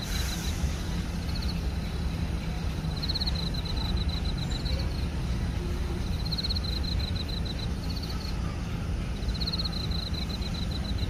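Crickets chirp in short, high pulsed bursts over a steady low rumble.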